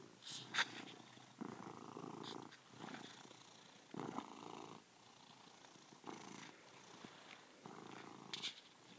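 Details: Male house cat purring very loudly while looking at himself, a rough rumbling purr in pulses of about one second with short pauses between breaths, a brief human voice near the start.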